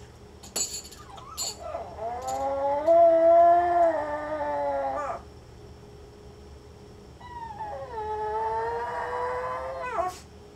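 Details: A female Pomeranian about two and a half years old, home alone and filmed by a hidden camera, gives two long, wavering howls, each lasting a few seconds with a rising start.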